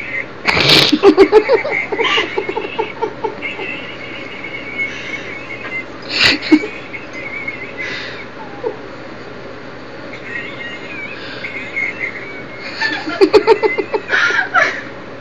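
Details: Lola, a French bulldog, crying: thin high whines that rise and waver, broken by loud snorting, sneeze-like bursts near the start, middle and end.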